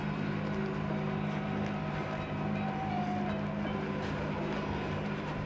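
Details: A steady, low mechanical hum with constant tonal bands fills the whole stretch, like a running engine or motor. There is no animal voice.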